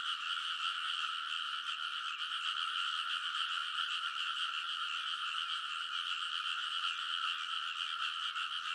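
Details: Early-summer midnight chorus of frogs on a paddy levee in Kōnosu, Saitama, Japan, captured with a portable recorder; unbroken overlapping croaks form a buzzing, rhythmically throbbing wall of sound with no other noises.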